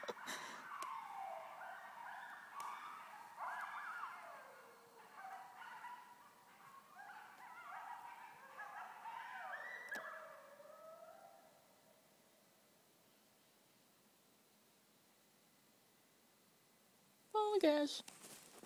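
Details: Coyote pack howling in a backyard at 2:45 am, October 10 2011, Easthampton, Massachusetts; overlapping wavering, sliding howls and yips rise and fall for about twelve seconds, then fade, followed by a brief sharp burst near the end.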